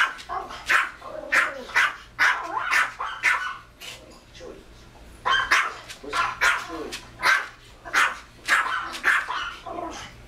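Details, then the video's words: A Pomeranian gives rapid, high-pitched, yappy barks in quick, uneven bursts while barking at a barking Pomeranian in a video playing on TV. "Pomeranian barking at dog on tv"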